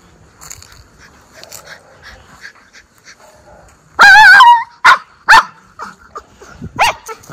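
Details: Miniature Schnauzer brothers let loose outdoors in spring after the snow has gone, one dog described as a talker; a loud high yelping bark with wavering tone, then several sharp barks in quick succession over quiet background.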